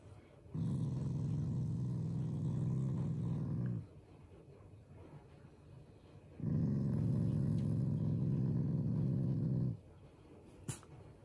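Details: Shiba Inu, a loving family dog, growling playfully rather than angrily as its own way of showing affection to its owners: two long, low, rumbling growls of about three seconds each, separated by a quiet pause.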